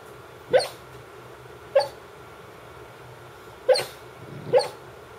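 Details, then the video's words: Female Brittany Spaniel barking in her sleep, a dog said never to bark while awake: four soft, muffled, short woofs, irregularly spaced over about five seconds, against a quiet low room hum. "Sleep barking dog (Brittany Spaniel)"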